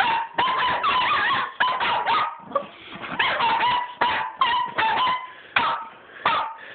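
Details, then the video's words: Dogs playing with a tennis ball, chasing it along a hallway, keep up a near-continuous run of yelping barks and whiny, pitch-bending yips, bursts coming roughly every half second. "My crazy dogs and a tennis ball"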